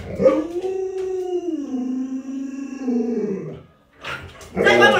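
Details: Luoluo, a pet Alaskan Malamute, vocalizes in annoyance as its owner pretends to eat dog-meat hotpot: a drawn-out, tonal howling whine lasting about three seconds, sliding downward and then levelling, followed by a sudden loud burst of voice.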